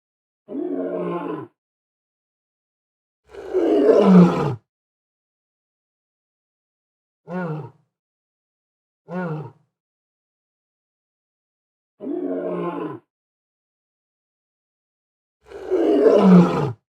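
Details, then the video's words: Lone adult male lion, described as aggressive, roaring in a forest in summer: six deep, harsh bursts, two long rough roars and shorter grunting calls with falling pitch, each about a second, separated by silence. "Real Lion Roaring Sound Effect || Beautiful Male Lion Roaring || Angry Lion In Forest Roaring Sound"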